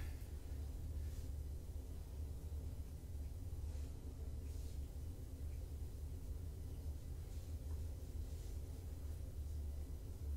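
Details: Deep, constant indoor hum and rumble with a few soft faint rustles, and no animal voices.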